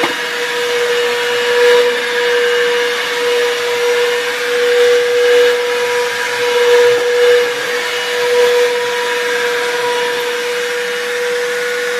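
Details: A steady whining vacuum cleaner drone runs throughout, with a sustained mid-pitched tone and a broad hiss in the background, indoors.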